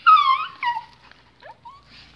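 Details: Pet pinschers at home, excited as leashes are clipped on for a walk, give a loud high whimpering whine that wavers and slides downward, a second shorter whine, then a few faint brief squeaks in a quiet room.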